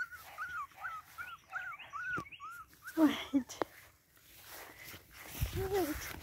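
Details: Boston Terrier puppies from one litter: high, arched squealing whimpers repeated quickly, about seven in two seconds, then a thump and rustling, a lower whine near the end, and a person's voice nearby.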